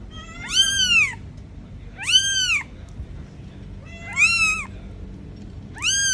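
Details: Little kitten crying out, prompting its mother to come searching: four strong, bright meows that rise and then fall, each under a second long, spaced under two seconds apart, against a quiet low hum.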